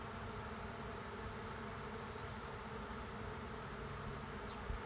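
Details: Honey bees swarming into an empty hive by a driveway make an even, thick buzzing hum that stays constant throughout, ending in a brief low thump.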